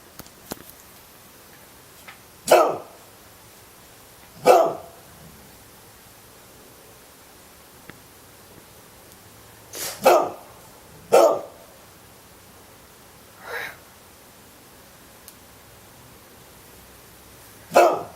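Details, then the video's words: Pet dog barking in separate bursts, roughly every one to five seconds, several single sharp barks with quiet pauses between them. "my dog likes to bark"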